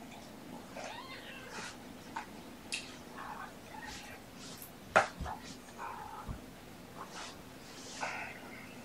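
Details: Young domestic kittens, born November 22 and surrendered with their mother Olympia, on a sleepy afternoon of 13 February 2018 indoors; several short, high meows about every two seconds over a low room hum and faint voices.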